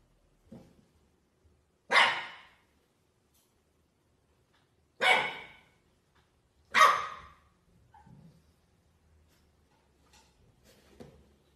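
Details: French Bulldog puppies indoors giving three short, sharp barks spaced a few seconds apart, with faint whimpers and soft yips in between in a quiet room.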